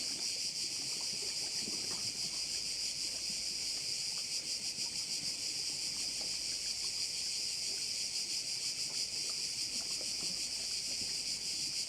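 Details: A bay on the Croatian island of Korčula, where crickets sustain an intense high whirring wall of sound, pulsing steadily near three times a second, with light low rustling in the background.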